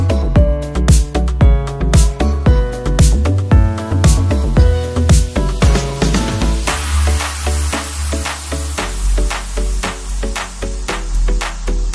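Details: Electronic dance music with a steady pounding beat and bright synth stabs throughout; no animal sounds are heard.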